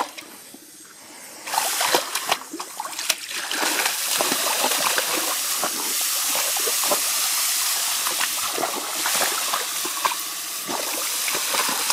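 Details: Splashing and sloshing water from a hosepipe fill the recording, with steady spraying and scattered splatters and no animal voice.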